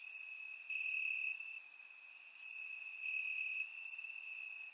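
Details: Continuous shrill cricket trill on a warm summer night in Bulgaria, grass habitat, surround recording; the steady tone brightens in stretches while scattered higher insect chirps flicker over it.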